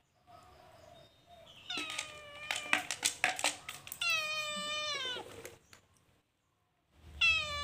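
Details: Calico cat stealing food in a cage: clattering and knocking sounds, then one long, drawn-out meow that slowly falls in pitch, and a second meow starting at the end.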